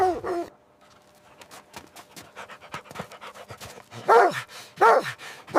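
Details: Puppies playing with their mother dog on fresh snow in winter; a sharp bark opens, then soft panting and scuffling, followed by three loud arched yelping barks spaced under a second apart near the end.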